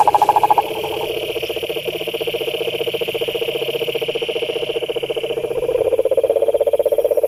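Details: Pond frogs call in a dense chorus, overlapping rapid pulsed trills that continue without pause and swell louder near the end, with a steady high-pitched buzz in the background.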